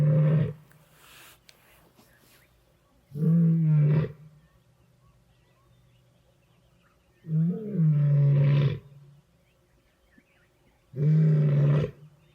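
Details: In winter, with steaming breath, a hunting lioness with two young sons gives deep, powerful roars about a second long, spaced several seconds apart, roaring dominance in the heart of her pride's territory after vervet monkey alarm calls exposed her.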